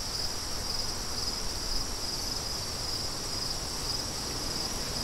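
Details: A cricket chorus of shrill, rapid chirps holds one high pitch throughout, layered over a low rumbling wind.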